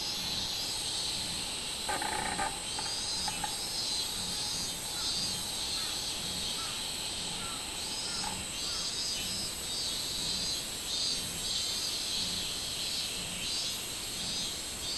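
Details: Robust cicada (minminzemi) singing on 24 July 2016: a dense, high, hissing buzz with steady rhythmic pulsing swells throughout, plus a short rattling burst near the start.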